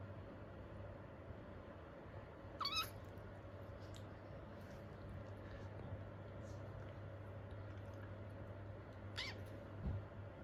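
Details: Two kittens play-wrestling gently indoors give faint, high, thin mews. Two short downward-sliding cries sound several seconds apart against a steady low hum.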